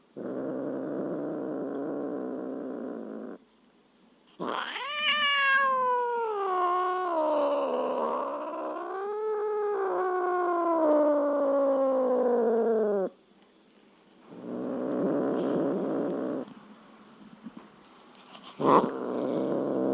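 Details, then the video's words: Domestic cat letting out a long, drawn-out caterwaul of about nine seconds, sliding down then wavering up and down with strong harmonics before cutting off, amid stretches of steady hissing background noise. "Sounds of cats"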